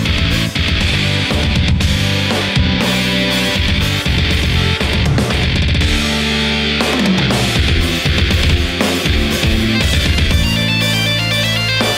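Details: Loud heavy metal music with distorted guitars and drums plays throughout, with no animal sound heard.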